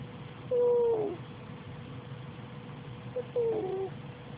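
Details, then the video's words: Sleeping cat snoring, each breath carrying a short, high, whistled note that slides slightly downward; two such notes about three seconds apart over a steady low background hum. "Snoring kitty"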